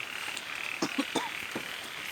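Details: Frogs give a few short, low croaks over the steady hiss of falling cold rain.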